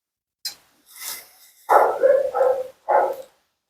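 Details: Mila, a talkative female Siberian Husky at her second-ever groom, complains during her bath and blowout: a faint short yelp, then three harmonic vocal bursts, the middle one drawn out and wavering, the last short and clipped, in a small indoor room.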